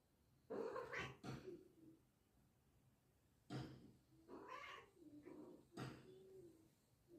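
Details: Cats in a village setting yowling at each other; drawn-out wavering wails in repeated bursts, some rising then falling into lower moaning tones, with quiet gaps between.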